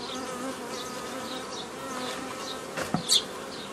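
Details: Honey bees from a forager swarm hum steadily as old-style nucleus colonies are assembled on 15 May 2018; constant drone, interrupted near the end by a few brief knocks and rustles of handling.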